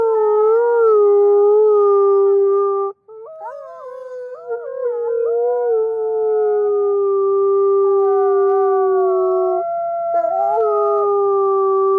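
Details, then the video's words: Several wolves howl together in long sustained notes. The voices slide and bend against one another, one dipping low after a short break, then settle into level overlapping tones. "Wolves seem to be talking to someone"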